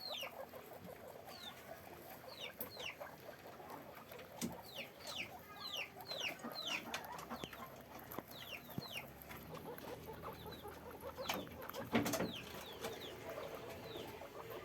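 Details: Caged guinea pigs on a farm make short, falling, high-pitched squeaks. They come in a loose burst over the first half and thin out later, with clicks and rustling in the background.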